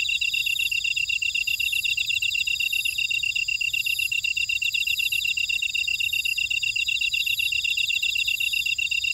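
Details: Insects in a buckwheat field at Ora-dong, Jeju City, on volcanic Jeju Island, South Korea, form a dense chorus of high chirps and trills, rapid and steady, with several callers overlapping and a faint pulsing buzz above.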